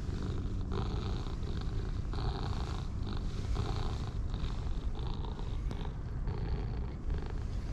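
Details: Two stray domestic cats, a dark and a light orange tabby pair, purring contentedly while being stroked; a steady low rumbling purr runs throughout with rhythmic breath pulses, plus faint rustling from handling.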